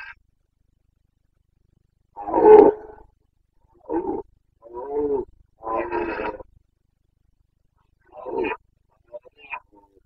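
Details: Carpathian red deer stag roaring during the breeding season (boncănit) in the Bucovina mountains, Romania, 29 September 2022: hoarse, throaty bellows in separate bursts, one long roar followed by several shorter ones spaced a second or two apart, with silence between.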